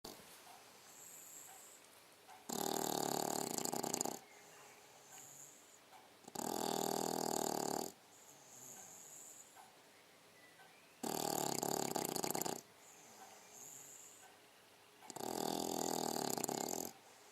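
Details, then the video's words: A 6-month-old female English Bulldog snores while sleeping, in loud, rasping bursts, each lasting over a second and coming about every four seconds. "english bulldog indy snoring"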